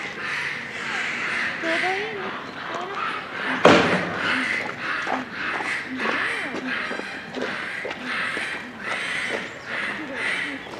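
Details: Japanese macaque troop at Hamura Zoo, Japan, calling at dusk near closing time in December 2020; many overlapping tonal, harmonic coos, some rising and some falling, come in a steady noisy chorus, with one sharp bang near four seconds.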